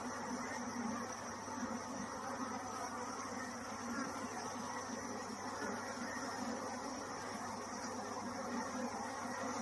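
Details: Honey bees at a bee farm in Kanchipuram, Tamil Nadu, India, produce a steady, dense buzzing hum without a break as a queen bee emerges.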